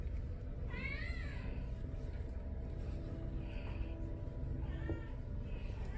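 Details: Tommy, a Domestic Shorthair awaiting adoption, recorded the morning of 6 February 2024: one clear rising-falling meow, then two fainter meows, all over a steady low rumbling background hum.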